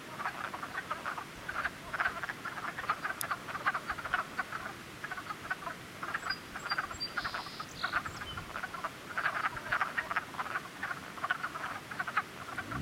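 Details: A spring cluster of frogs croaking continuously, with many short rasping pulses stacked closely and overlapping, steady throughout, plus a faint higher tonal hum in the middle and a single sharp click.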